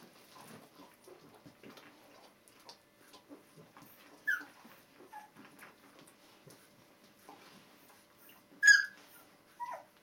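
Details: Two-week-old Border Collie puppies from one litter: soft rustling and faint murmurs, then a few sharp high squeals near the middle and a loud cry toward the end.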